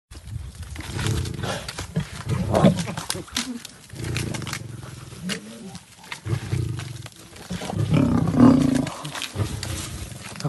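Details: Lions, shown climbing trees to catch prey, give low, rough growling roars in several bursts of one to two seconds, with background music throughout.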